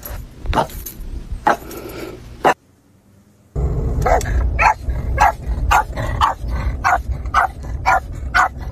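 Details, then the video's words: Boston terrier barking in short sharp bursts, a few spaced barks then a near-silent gap of about a second, followed by a fast run of repeated barks roughly twice a second over steady low background rumble. "Boston terrier barking"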